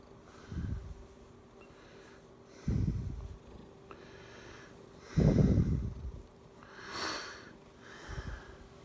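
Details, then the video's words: Pet domestic cat purring indoors, a low rumbling purr in bursts about every two to three seconds, each swell lasting under a second before fading, with a faint steady hum in the background. "Can you hear my purr and meow?"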